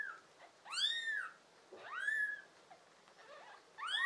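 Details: Kittens from a litter of five pets, offspring of an American Shorthair and a tabby, recorded in summer 2022: three loud, piercing meows, each bending up then falling, with a short faint squeak between them.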